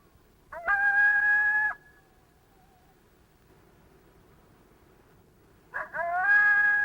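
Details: Lone howl of a single coyote, a call meaning 'hello, who's out there' that draws replies from nearby coyotes: each starts with a short sharp bark-like note, then holds a flat, steady howl for about a second, heard twice with a pause between.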